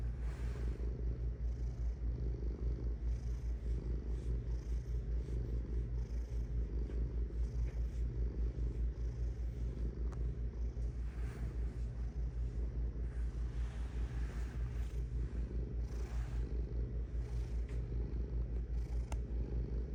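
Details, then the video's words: Cat purring steadily for twenty seconds: a low, rapid, pulsed rumble with regular breath swells, faint light rustles now and then. "Purring Cat"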